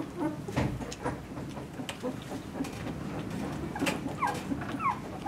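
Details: Two-week-old Vizsla puppies in a litter; brief high thin squeaks and whines rising and falling, a few short sliding cries near the end, over a rustling, murmuring background.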